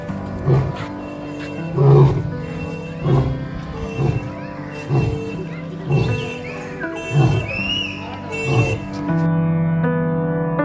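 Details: A lion gives a series of deep, grunting roars, about one every second and a half, over background music, heard on arrival at the lion area of the Bannerghatta park safari and zoo near Bangalore, Karnataka, India.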